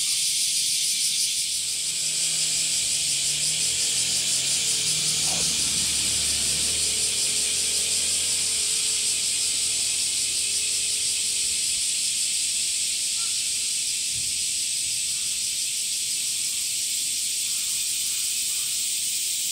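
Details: Summer chorus of male cicadas, which sing by flexing their tymbals: an unbroken, high, hissing drone with a faint rapid throb. Low humming tones and a brief knock sound underneath during the first twelve seconds.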